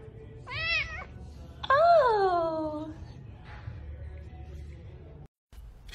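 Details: Pet cat in a funny cat compilation: a short wavering meow, then a louder meow that starts high and slides downward, over background music, followed by quieter sounds and a brief silence.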